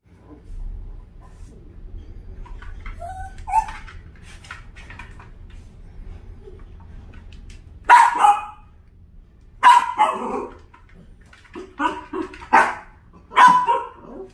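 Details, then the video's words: Dachshund reacting to a puppy stuck between air conditioners: low murmuring first half, then five loud, sharp barks in short bursts from about eight seconds onward, spaced roughly one to two seconds apart. "에어컨 사이 낀 강아지를 본 닥스훈트 반응?"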